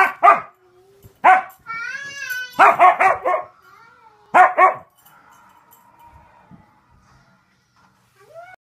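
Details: A white Siberian husky greets its owner with bursts of yelping, talkative howls and whines.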